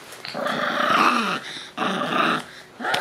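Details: Playful-sounding buzzy growls from Shiba Inu puppies (white sisters born 27 December, black pup Uchuu born 3 January), three rough nasal bouts each about a second long, separated by short pauses.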